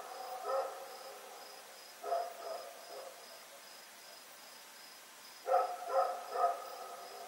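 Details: At night, Rex the dog runs around barking, recorded Oct 7, 2018: a single bark, then a pair, then three quick barks near the end, over a continuous pulsing insect trill.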